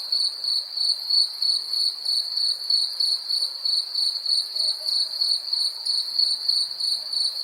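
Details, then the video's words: Shrill cricket chirps repeat quickly and evenly, about three per second, forming an unbroken high trill with a faint upper overtone. "Cricket insects sound effects"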